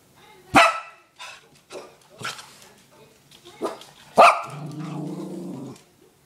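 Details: Female Bichon Frise barking indoors; a few loud, abrupt single barks spaced one to two seconds apart, with softer huffs between and a woman's voice speaking softly.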